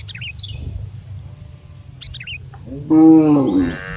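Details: Cows: after several seconds of high, quick bird chirps and low background rumble, one loud harmonic moo rises briefly and then holds steady for under a second near the end.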